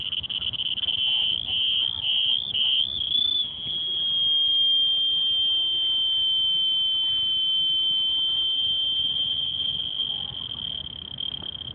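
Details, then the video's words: Singapore Botanic Gardens cricket sings a shrill, piercing high-pitched note, first in a few stuttering pulses, then holding one long continuous ringing trill that fades slightly at the close; soft low ambient noise beneath. "Cricket Making Sound at Singapore Botanic Gardens"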